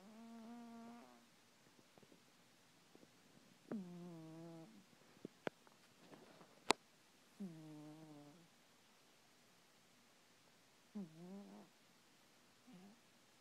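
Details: Domestic cat snoring while asleep at night: four drawn-out, buzzy, tonal snores at slow breathing intervals, each slightly falling in pitch, with a few sharp clicks and taps between them in a quiet room.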